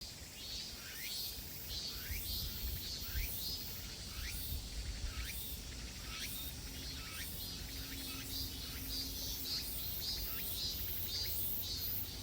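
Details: In a summer forest on Mt. Iseong, Hanam, Korea, cicadas buzz high and steady in pulsing waves with repeated falling chirps, while footsteps rustle below from someone walking backwards.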